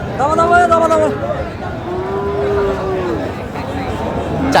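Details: Sahiwal cattle, bull calves at a livestock market in Joypurhat, Bangladesh, on 20 October 2025. Two drawn-out, harmonic moos, the first wavering and the second lower and smoother, with men talking and crowd chatter throughout.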